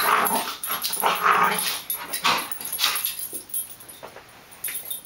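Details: Two dogs, a Great Dane puppy and a cattle dog mix, romping together in an office while a French bulldog puppy tries to join; short breathy growls and yips overlap in uneven bursts, fading toward the end.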